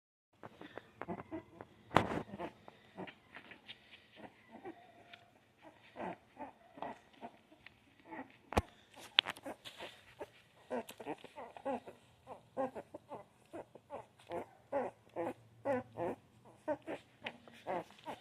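Puppies give a run of short, high whimpers and squeaks, many overlapping in quick succession.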